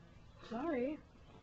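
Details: A female cat named Cricket, eating catnip indoors, gives one short wavering meow of about half a second that rises, dips and rises again before ending, with quiet room noise around it.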